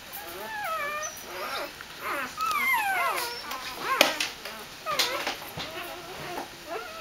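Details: {'caption': 'Dobermann puppies welcoming their mother back from a walk with excited whining, rising and falling whimpers and short yips, several pups overlapping, plus faint human speech.'}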